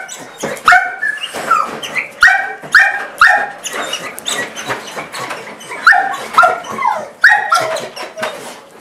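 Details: Portuguese Water Dog, thrilled at its owner coming home, makes a run of high squeaky-toy-like yelps, a blend of bark, whine and panting, repeated roughly every half second to second with breathy gasps between.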